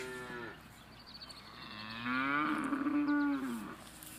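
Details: Holstein Friesian cows lowing, a short high moo at the start followed by a long, deep, steady moo that swells in the middle and tails off, with fainter higher moos layered above.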